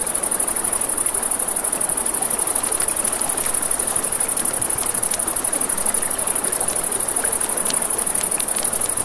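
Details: Riverside crickets at night keep up an unbroken shrill, high-pitched trill; scattered snaps from a crackling campfire and a constant wash of running water fill the lower sound.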